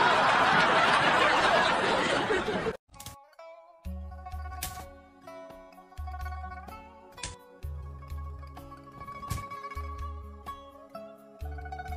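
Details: A loud, dense burst of broadband noise gives way to plucked stringed-instrument music with a steady low bass pulse and a faint snicker of laughter.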